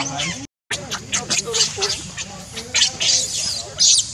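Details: Shrill, raspy monkey screams from Rainbow, angered while Leo and Libby are around, arrive as choppy high shrieks and squeals. A brief gap of silence breaks the run early, then the sound rises to louder bursts near the end.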